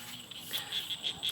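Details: Frogs call in a steady chorus of quick, high clicking pulses, about four to five a second, from a flooded rice field in the evening near sunset, after heavy rain the night before, over faint background hiss.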